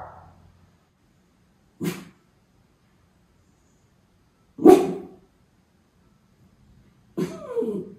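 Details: Levi, a Miniature Schnauzer keeping watch for crows in Aroostook County, Maine, August 27, 2021; three spaced, moderately soft barks, the last breaking into a rough, wavering tail.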